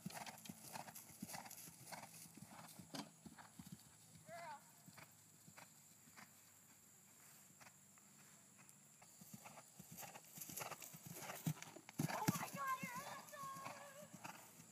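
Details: Percheron mare schooling over a 3'9" jump fence for the first time: irregular hoof thuds and clip-clop on the ground, a rider's excited shouting and speech toward the end.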